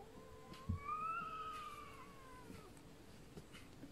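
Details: A visiting Sphynx cat at a window gives one long, drawn-out meow that rises and then slowly falls away, while the resident cat looks unhappy.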